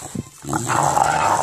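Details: English bulldog at play with a ball, giving a sustained rough, throaty monster-like growl that swells and holds for about a second after a brief low grunt.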